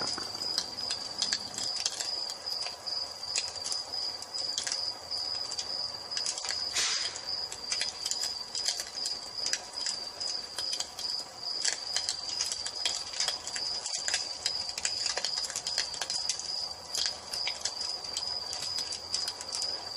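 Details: A steady high cricket trill runs under an evening fireplace scene, with irregular crackles from burning wood and one louder burst of noise partway through.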